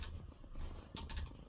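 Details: Male pet cat Coco, ill and being nursed, purring in his bed after eating; a deep, continuous rumbling purr is cut by a brief rustle of movement near the middle.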